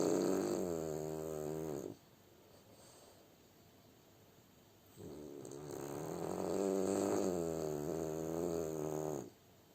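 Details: Sleeping French Bulldog snores twice, each a long fluttering, rattling rasp, the second running about four seconds, with a quiet pause of soft breathing between them.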